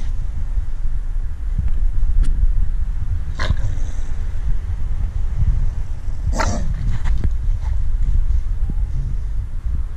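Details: Female Staffordshire Bull Terrier guarding her stick, giving a low, steady rumbling growl that runs through the whole stretch, broken by two sharp broadband bursts, likely snaps or handling noise.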